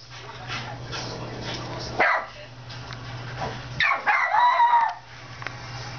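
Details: A puppy gives a few short, high barks and yips at a TV showing another dog barking, over a steady background hum.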